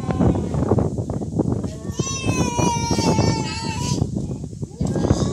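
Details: Fighting cats in a real cat fight: one long, wavering, drawn-out yowl with stacked overtones rises in the middle and slowly sags before cutting off, over constant rough background noise and voices.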